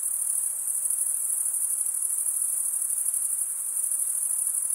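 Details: Crickets chirping at night in a summer forest: a steady, very high-pitched shrill trill with fine rapid pulsing and an even loudness throughout, forming one unbroken chorus with no other sounds.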